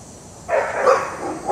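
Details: German Shepherd/Collie mix named Dixie, a dog in training for dog reactivity in the Raleigh Durham area: one loud, harsh, broadband bark, then a second bark beginning at the very end, over steady background hiss.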